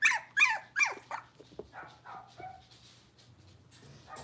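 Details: Young blenheim Cavalier King Charles Spaniel puppies, six weeks old, one of a litter of five kept in an indoor puppy pen. Several loud high yelps open, then softer whimpering barks fade into a low hum.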